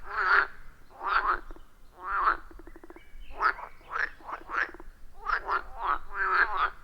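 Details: Forest pond frogs recorded on iPhone 14 Pro plus Shure MV88+: loud, hoarse croaks in separate bursts about once a second, with a fast clicking rattle in between and later quicker doubled calls.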